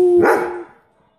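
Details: Excited dog finishing a steady howl that breaks into a single loud, harsh bark, which then fades quickly into silence.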